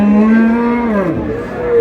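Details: A cow at Ambari cattle market in Dinajpur, Bangladesh, 20 February 2026, where cows are sold with their calves, gives one drawn-out moo that rises slightly, then sags in pitch over under two seconds.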